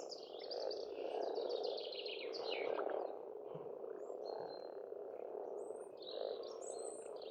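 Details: Spring at an Estonian farm pond: frogs croaking in a continuous low chorus while songbirds add bright descending trills at the start and scattered high whistles later.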